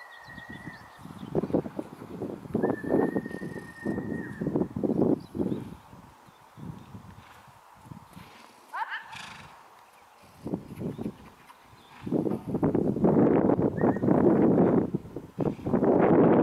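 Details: Akhal-Teke horse neighing amid a steady run of hoof clip-clops and broadband thuds, with brief tonal squeals near the start and middle and louder bursts of movement noise toward the end.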